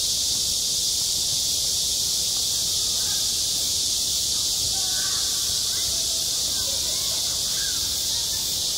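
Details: A constant high-pitched sizzle of cicadas singing in summer at a school playground, with scattered faint voices in the background.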